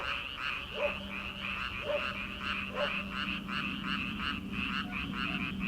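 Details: Early-summer frog chorus from Korean rice paddies at night: continuous rattling croaks pulse rapidly, overlaid by louder single low croaks roughly once a second, with a steady low hum underneath.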